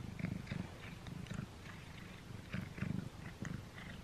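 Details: Pet cat working at a string treat during its first taste, recorded up close; low rumbling bursts come in short pulses, about three or four a second, mixed with wet chewing clicks and crunches.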